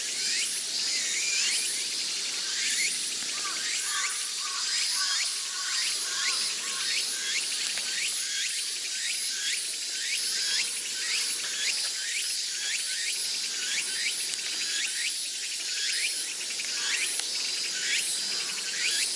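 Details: Summer cicadas around Atago Shrine in Sendai fill the air with a steady shrill buzz, overlaid by quick curved chirping notes repeating roughly once a second.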